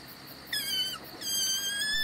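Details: In the alpine mountains in June, during a roebuck stalk, a roe deer gives two thin, high, whistled peeps, each about half a second long at a steady pitch, over quiet background hiss.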